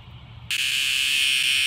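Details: After a brief quiet moment, a male cicada found upside down and in distress on a backyard patio in the evening bursts into a loud, harsh, unbroken electric buzz, high and even, holding steady without pause.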